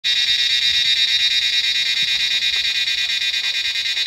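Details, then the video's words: Large numbers of cicadas call from trees during the Himalayan monsoon rainy season, a dense, steady high buzzing chorus with a fast pulsing throb, holding at even loudness throughout. "Cicadas calling in the Himalayan monsoon"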